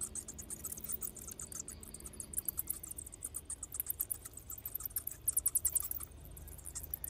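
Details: Bats leaving their cave to go feeding give rapid, needle-thin high squeaks and ticking chatter in clustered runs, loudest near the fifth second, with a faint low hum and background rumble beneath.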